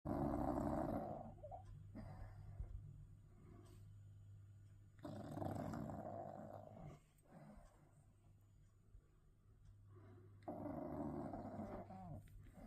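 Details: English bulldog asleep, snoring loudly: long rough rumbling breaths in repeated bursts, each lasting one to two seconds with quieter pauses between, over a steady low hum indoors.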